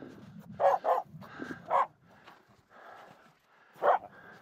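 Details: Sharp barks from Finnish Spitz Aamu, upset by two reindeer walking close during a snow pack crossing on Mulen; a quick pair, a single, then one more after a pause, over soft scuffing steps.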